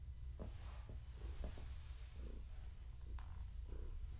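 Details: Low continuous purring from Gaia, a pregnant long-haired tabby cat, as she is petted and scratched; faint clicks and rustles of handling over the deep rumble.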